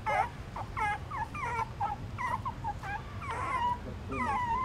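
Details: Hungry newborn puppies suckle from their mother inside a pagoda stupa in Siem Reap, Cambodia, giving rapid short squeaky whines, several each second, some rising and falling, over a low background rumble.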